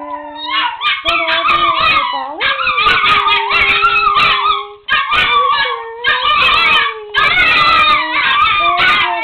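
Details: Pair of chihuahuas singing their version of the Oscar Mayer Wiener song: dense, overlapping wavering howls with yips, pitch sliding up and down, in continuous bursts broken by brief pauses.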